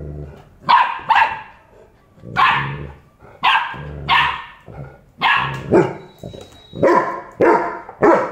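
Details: Golden Retrievers from Bangalore, a puppy arguing with its father: loud barks come in pairs and singles about every second, some with a growly edge, with a faint steady whine in the background.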